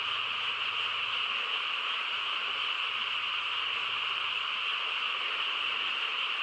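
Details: A massed frog chorus fills a calm countryside night with a thick, buzzing trill that never stops over these few seconds, along with a faint low hum underneath.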